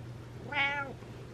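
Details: At night the pet cat Butters calls for attention with one short arched meow, rising then dropping in pitch over under half a second, a faint hum underneath in a quiet room.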